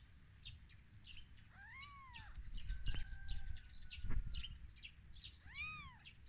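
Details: Baby kittens, newborn and on their first day of life, cry with two drawn-out, arching mews rich in overtones, one early and one near the end. Birds chirp faintly throughout, with a couple of soft knocks between the cries.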